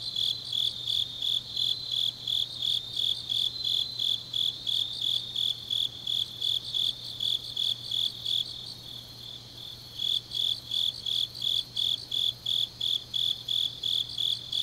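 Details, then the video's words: Deep autumn night in Changnyeong, South Gyeongsang, Korea, with grass insects singing. High, rapid chirps repeat about three per second, pause briefly for a second or so midway, then resume. A faint low hum continues throughout. "깊은밤 가을 풀벌레 소리"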